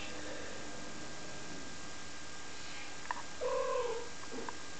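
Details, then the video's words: Kittens at five weeks old, recorded on 7 April 2011: over a steady hiss of background noise, a single short mew slides downward, followed by a faint second squeak. "Kittens at 5 weeks old"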